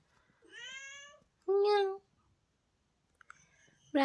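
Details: Pet cat in the hills waking its owner each morning: a softer rising meow, then a loud, sharp one a moment later, and another starting at the close, while a person talks to it nearby.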